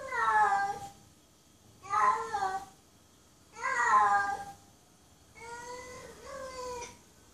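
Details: Female domestic cat in heat calling to mate, giving four drawn-out harmonic meows about two seconds apart, each near a second long with wavering pitch, the last one softer and split in two; quiet indoor room otherwise.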